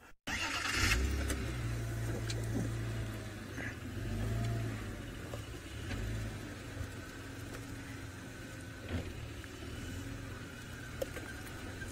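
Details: A car engine idles and revs steadily throughout, with low rumble and occasional clicks but no animal voice.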